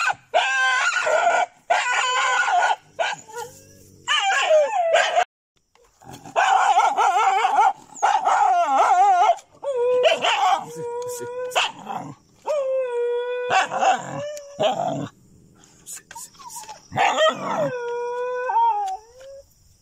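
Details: Near pigeon houses in Chilaw, Sri Lanka, dogs set upon jungle cats. Repeated harsh barking bursts alternate with long, steady, tonal whines and rising yelps in a chaotic fight lasting nearly twenty seconds.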